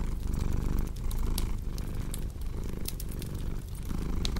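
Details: Low continuous cat purr, rumbling with soft breath-paced swells, set against frequent crackles and pops from a cozy fireplace.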